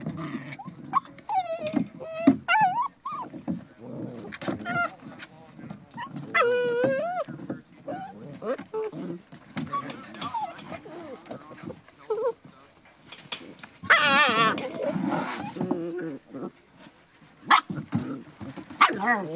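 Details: A litter of Border Collie puppies, 7½ weeks old, raised together: high, wavering whines and yelps come in bursts throughout, some sliding up and down in pitch, over scrabbling paws, patter and occasional human voices.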